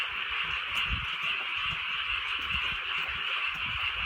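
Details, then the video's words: Frogs in the countryside on a drizzly rainy night, a dense chorus of rapid, rattling croaks merging into a steady high buzz, with faint low rumbles and the patter of rain beneath. "개구리 소리"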